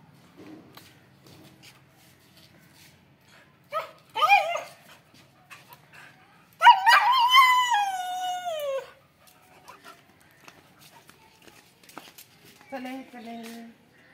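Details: Excited female Siberian Husky Kittu, about to be taken to the garden, lets out short yips, then a loud sliding howl dropping in pitch over two seconds, and a final low whine as she waits for the gate to open.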